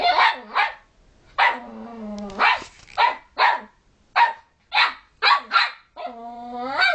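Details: Puppy pestering other dogs who want to sleep: sharp broadband barks in quick pairs alternate with long, harmonic, slightly wavering whines and growl-like moans, the barks returning every half second or so.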